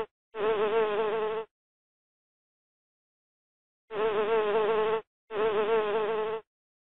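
A bee buzzes in three steady, droning bursts, each about a second long.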